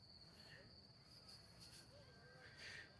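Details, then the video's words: Crickets calling at dusk in a tea garden in Sylhet, Bangladesh, on a cool evening; a steady high, thin continuous trill runs throughout, with faint distant voices beneath. "অলরেডি ঝিঝি পোকার ডাক শোনা যাচ্ছে"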